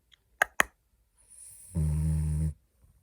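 A French Bulldog gives a soft hissing breath, then a deep, rattling, buzzy snore.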